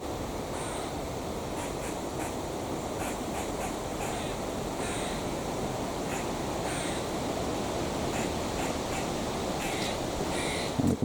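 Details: Squirrels in a grove of tall sweet-chestnut trees in October complain at someone gathering their chestnuts, scolding with short, harsh chattering notes repeated every second or two over steady wind.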